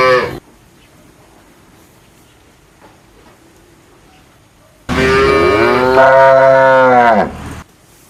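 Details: A cow gives a single drawn-out moo of nearly three seconds, full and harmonic, rising then sagging at the end, preceded by the tail of an earlier call and a quiet stretch.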